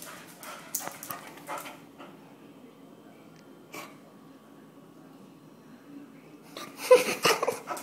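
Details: Jake the Basset hound and Mylo the Jack Russell terrier play-fighting indoors; rough, noisy growling bursts and snuffles come early, then a louder cluster of harsh grumbles near the end, with quiet pauses between.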